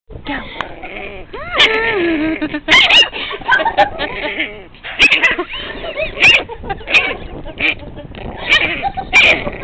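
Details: A 7-week-old Chihuahua puppy gives high, squealing whines and yelps in protest at being poked.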